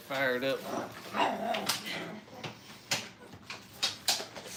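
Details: Five-week-old Brittany puppies playing at a training kennel: a short run of high, thin whimpering yelps opens the clip, followed by soft clicks, shuffles and a human voice in the background.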